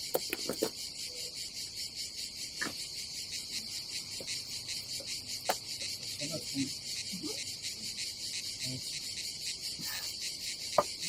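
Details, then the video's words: A loud, unbroken high-pitched cicada buzz on a summer day at an Adriatic seaside campsite in Croatia, with faint pulsing. Occasional clicks and soft knocks are heard. "nature cicadas sound"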